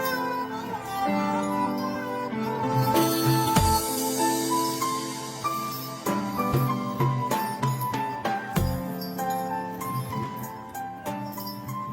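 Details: Instrumental music with jingling bells and plucked string tones over a steady beat, with no animal voice.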